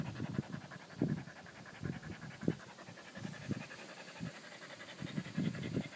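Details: Steady panting from a Pungsan dog: soft, low, breathy puffs repeated several times a second without a break, with slight unevenness in strength from breath to breath.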